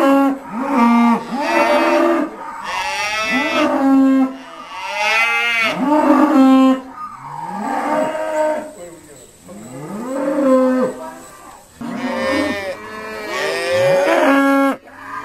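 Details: Several Irish Dexter cows call repeatedly while being sorted at Stone Meadow Farm, a near-continuous run of overlapping rising and falling harmonic moos, some held and steady, others sliding, with brief gaps between bouts.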